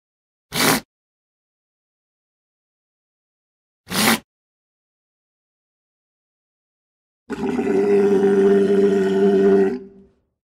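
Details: Walrus: two sharp knocks a few seconds apart, then a sustained tonal bellow lasting about two and a half seconds with a steady, reedy pitch and rich overtones, ending abruptly.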